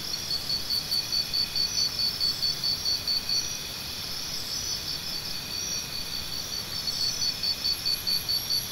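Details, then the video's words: Cricket chorus used as tinnitus sound therapy. Quick, evenly pulsed high-pitched chirps run in strings, pause for a few seconds, then resume at the same pace over a soft low rumble. "Try Listening to Cricket Sounds"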